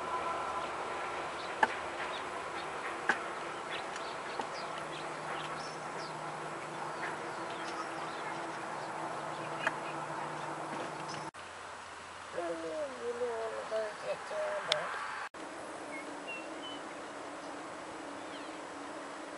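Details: Wintering elk at the Oak Creek feeding station in Washington; after a long stretch of steady low hum, a short run of harmonic, wavering mews rises and falls for about three seconds, with a human voice at the start.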